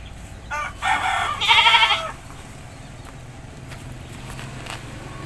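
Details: Village goat during a bath, bleating in a short burst of two or three harsh, buzzy cries within about a second and a half, then fading to soft countryside ambience.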